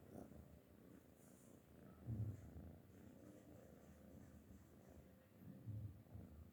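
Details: Sleeping cat purring softly: a low, rumbling purr with gentle swells in loudness about every three to four seconds, recorded indoors with little else heard.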